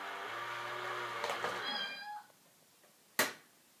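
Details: Domestic cat facing a cat in a box gives one drawn-out, harmonic meow lasting about two seconds, followed by quiet and then a single sharp knock.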